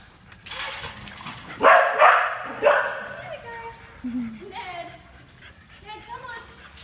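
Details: Dog at a dog daycare centre in Booragoon, Western Australia: a couple of loud barks followed by shorter yips and whimpers, with human speech in the background.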